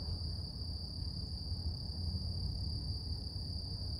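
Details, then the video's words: Unbroken shrill tone from morning cicadas, steady in pitch and loudness throughout, with a constant deep rumble underneath. "Relax With Cicadas Nature | Calming Insect Sounds"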